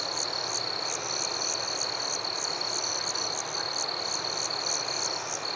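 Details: Nighttime forest crickets: bright pulsed chirps about three each second over a sustained high trill, with a soft wash of background noise.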